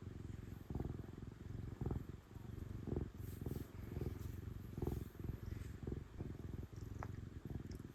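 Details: Pet cat, female, purring contentedly under petting: a loud, low, vibrating purr swelling and fading with each breath, close to once a second, plus soft scratchy handling sounds.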